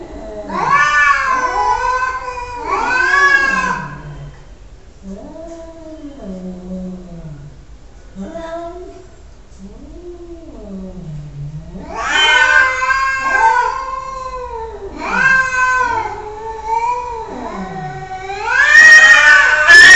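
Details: Cat yowling repeatedly, loud wailing meows alternating with quieter, lower moaning cries that rise and fall, building again to a run of loud cries at the end.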